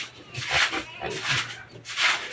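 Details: Piglets of a pure native sow during weaning give harsh, breathy squeals in three bursts, each about half a second long, over a steady low hum and some voices.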